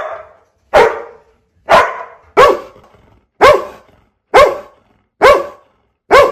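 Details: A dog gives a series of loud, clipped barks, seven of them spaced roughly once a second with fairly steady rhythm.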